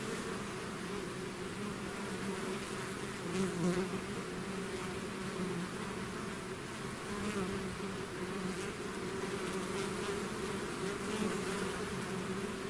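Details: Bee swarm pouring out of its hive, a dense continuous drone with steady hum bands near 200 and 400 and a scatter of brief higher buzzes from individual bees passing close.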